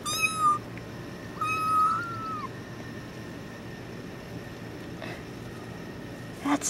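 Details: A tuxedo kitten being held yells twice: a short meow, then a longer one that rises slightly and falls away, followed by several seconds of quiet room noise and a couple of faint knocks.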